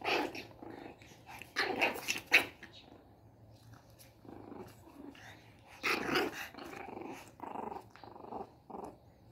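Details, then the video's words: Angry one-month-old Shih Tzu puppy, Caro, beside her mother Bella: rapid grumbling growls mixed with squeaky yaps in clusters, quieter gaps between, faint indoor background. "1 month old baby shih tzu gets mad"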